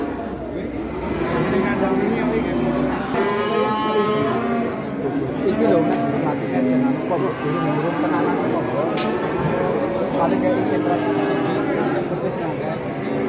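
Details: Cow in Indonesia, a massive animal watched by a crowd one morning before being taken away unhaggled; several overlapping wavering moos come one after another amid busy human chatter, clicks and faint music.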